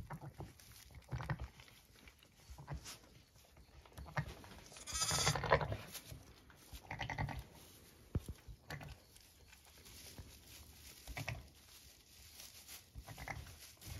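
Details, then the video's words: Zwartbles ewe on a regenerative farm in County Kilkenny, Ireland, with two newborn ram lambs born at 6am: soft low rumbling mutters scattered through the clip, with one louder, richer bleat near the middle and a few shorter calls after it. "I love motherly mutterings"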